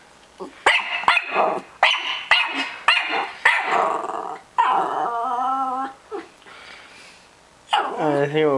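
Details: Young Norfolk Terrier named Peanut, six and a half months old, meets a balloon for the first time: a run of quick sharp barks, then drawn-out whining, growly vocalising with a human voice mixed in.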